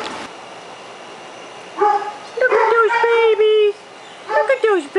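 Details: Five-week-old puppies whimpering indoors: tonal whines with stacked harmonics, some sliding down, a sustained cry near the middle, then a further burst of short yelps; a woman's voice is faintly present.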